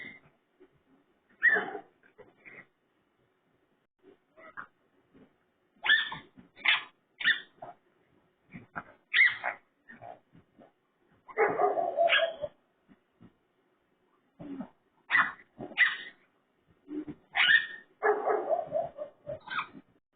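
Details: A raccoon (Procyon lotor) gives harsh, pig-like squeals and grunts in irregular bursts.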